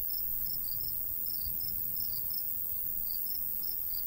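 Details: High, clipped cricket chirps in small clusters with brief gaps, from a summertime wheat field in the countryside; soft wind murmurs low beneath them.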